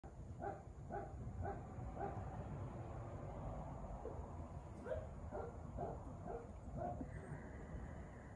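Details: Male Golden Retriever puppy born to excellent parents, giving a series of short, soft, tonal yips and whimpers repeated roughly every half second, with a brief pause midway, over a low indoor hum.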